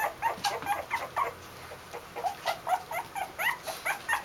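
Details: A litter of 2-week-old Basenji puppies whimper and squeal in quick, high, wavering bursts, January 2015.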